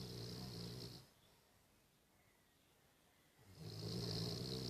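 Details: A 14-year-old Cavalier King Charles Spaniel, sleeping with its eyes open, snores in slow, rasping breaths, each a low rattling rumble with a hissy edge; two snores split by a few seconds of near silence.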